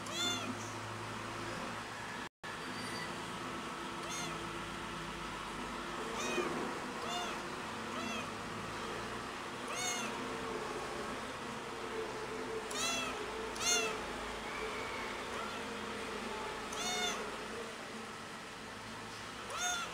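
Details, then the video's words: Pretty the cat meowing very loudly because it misses its mother; repeated high, arched meows every second or two across the whole stretch, with a constant low background hum. ""PRETTY" Meow Very Loud To Miss The Mother"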